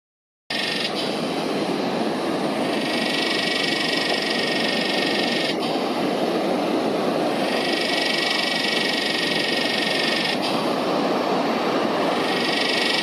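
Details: Yellowbelly cicada (Psaltoda harrisii) high up in a tree behind beach sand dunes in Northern NSW, Australia, on a windy day; unbroken loud buzzing drone whose tone shifts every two to three seconds, over a steady rush of wind.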